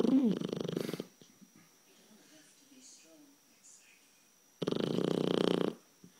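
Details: Sleeping blue Shar Pei puppy, 12 weeks old, gives loud, raspy, vibrating snores: one burst at the start and another about four seconds later, each lasting around a second, with quiet breathing between.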